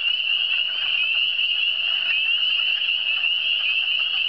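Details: A dense high trilling chorus of frogs from the Eastern Townships runs without a break, individual calls merging into a steady ringing buzz.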